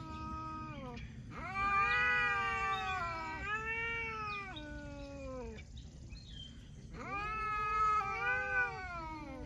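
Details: Cats talking in a series of long, wavering meows, each rising then sliding down in a drawn, moaning way, with short pauses between them and a low background rumble.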